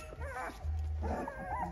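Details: Young puppies, still without teeth, play-fight in a normal developmental stage, giving squeaky little yips and growly barks at one another over a low steady hum, on 7 December 2022.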